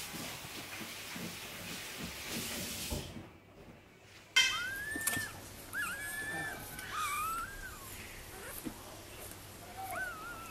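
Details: Newborn Dachshund puppies from a litter of eight (five males, three females) born on 5 May give thin, squeaky whimpers that rise and fall, several in quick succession, after a few seconds of rustling.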